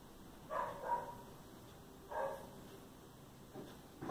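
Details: Cats fighting in a living room, where Billy, a black and white cat, is fighting with everyone: short, strained wailing cries, the first two close together, then one after a pause and a sharp cry at the end, over quiet room noise.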